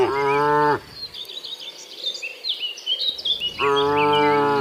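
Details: Tame cattle herded to their pen: one full moo at the start and another near the end, separated by a quiet gap filled with bright bird chirps and twittering.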